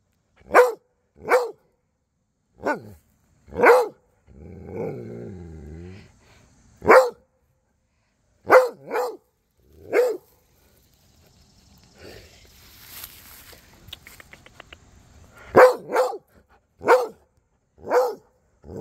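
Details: Cody, a Rhodesian Ridgeback, chatting with Duchess and the neighbour dogs: sharp, loud barks come singly and in quick pairs, with a low growly rumble near five seconds and a stretch of faint rustling noise before the barking resumes.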